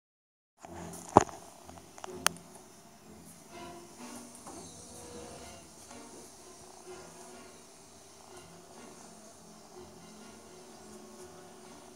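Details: Soft background music after a brief silence, broken by two sharp clicks; no animal calls.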